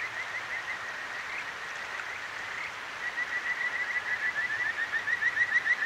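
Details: Kajika frog calling at night beside a clear mountain stream in Akigawa Valley, Tokyo, recorded with a ZOOM H6: high, whistled notes repeated rapidly, growing into a louder pulsing trill in the second half over a steady rushing stream.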